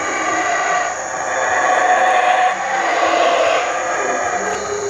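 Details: Howler monkeys roar in the distance near a cabana at Kinbalam, Palenque, Mexico, a deep rushing drone that swells and fades like wind.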